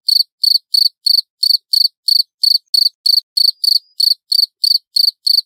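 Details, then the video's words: Clear, loud cricket chirping: evenly spaced short pulsed chirps, a little over three each second, bright and high-pitched against complete quiet. "Suara Jangkrik Jernih Keras"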